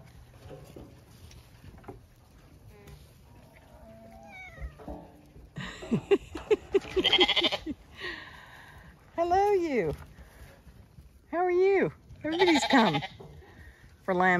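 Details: Zwartbles lambs on a County Kilkenny farm in Ireland race uphill in the rain when called for feeding. Loud, wavering, harmonic bleats come in overlapping bursts from several lambs, with a person talking to them between calls.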